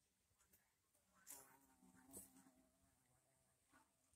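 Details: A carpenter bee (black bee) collecting pollen from flowers gives a low, droning buzz that swells and fades as it passes close.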